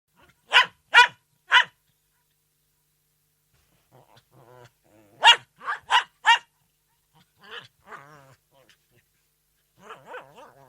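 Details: Poodle barking in two bursts, three sharp barks then four more after a short pause, followed by softer whining, wavering calls near the end.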